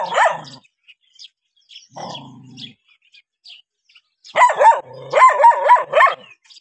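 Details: Dog reacting to a stranger: one bark, a low rumbling noise, then two rapid volleys of harsh barks, several in quick succession.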